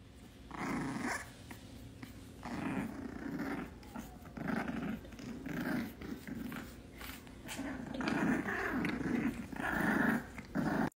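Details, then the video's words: Bulldog puppies fighting indoors growl in steady rough bursts, a low gravelly rumble rising and falling about once a second throughout, with a few higher yelping notes near the end. "Bulldog puppy fight"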